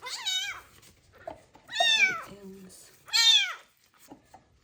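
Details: Street kitten abandoned in a box and treated for ringworm, crying loudly while being washed with special shampoo. Three insistent, rising-then-falling meows roughly every one and a half seconds, with soft handling noises and a low brief hum between them.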